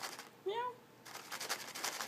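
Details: A pet cat named Leo, described as a mute kitty, coaxed to meow indoors: one short, rising-then-falling tonal meow, with human voices before and after.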